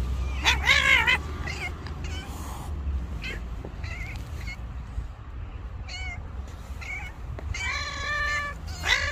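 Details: A white stray cat on the street, described as angry, utters a series of short harsh meows and whining cries at irregular intervals, louder bursts at the start and end, over steady low background rumble.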